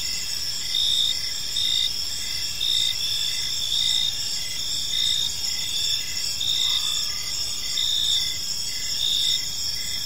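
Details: Crickets chirping on an evening in a peaceful park: steady high pulsed chirps repeated in a continuous, even rhythm, layered in several bright bands, with one soft brief sound midway and no other clear sounds.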